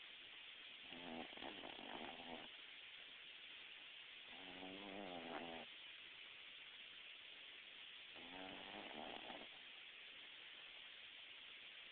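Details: A female Boston Terrier snores in her sleep, with slow, rattling breaths roughly every three to four seconds.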